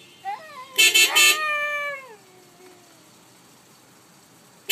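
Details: A Siberian Husky sings along with a car horn, giving a rising, then long falling howl while the horn sounds in short blasts.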